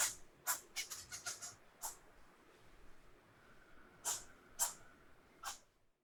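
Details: A single squirrel screeching: sharp, harsh, noisy bursts, about six in quick succession over the first two seconds, then a quiet gap and three more spaced roughly half a second apart; a faint steady tone lingers midway.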